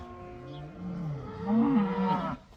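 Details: Cattle from a herd of about 80 cows let outside for the first time: one drawn-out, low moo that swells and rises in pitch toward the end and then fades, with a faint rushing background.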